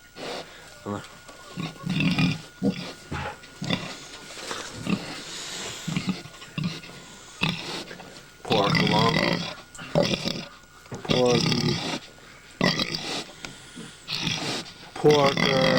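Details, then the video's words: Domestic sow at Quatto Hill Farm, Collinsville, in 1997, acting goofy and close to giving birth for the second time; loud rough grunts and squeals come in short bursts of uneven length, separated by quieter gaps. "pig making funny noises as shes ready to give birth"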